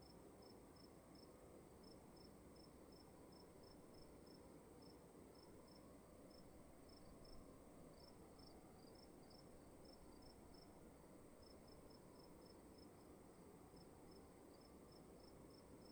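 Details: Cricket chirping indoors in a dark room at night: short high chirps repeated steadily in quick, slightly uneven bursts across the whole stretch, over a constant low hum of room noise.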